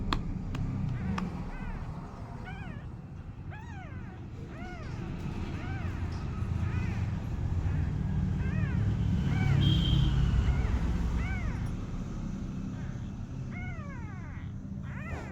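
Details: A little kitten trying to walk gives a run of high, arching meows, each rising then falling, repeated every second or two over a steady low rumble of traffic.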